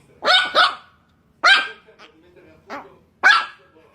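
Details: Chihuahua puppy barking: four sharp barks, a quick double bark, then single barks spaced about a second apart, each bright and harmonic, with quiet pauses between.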